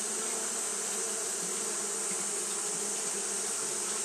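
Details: Japanese honey bees fanning steadily on a hot day, a dense, continuous low hum with a clear drone pitch and an overtone above it, unbroken throughout, over a constant high hiss.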